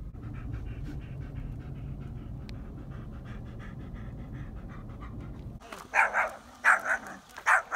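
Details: German Shepherd named Odin at a lake during a fishing outing; steady low panting for several seconds, then a run of four loud barks near the end.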